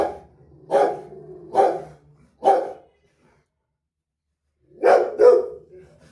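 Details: A Rottweiler, reacting to a street dog, gives three deep, harsh barks about a second apart. After a silent pause comes a final quick pair of barks.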